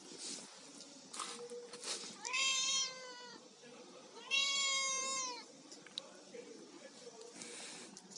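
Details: Domestic cat eating fish gives two drawn-out, harmonic meows, each about a second long, rising then falling slightly, separated by a pause; light clicks and faint background hiss between calls.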